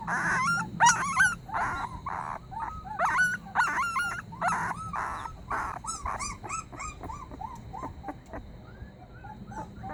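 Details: Puppy crying as if pleading for help, a busy string of short high whimpers, squeaks and yips, some overlapping, fading gradually toward the end.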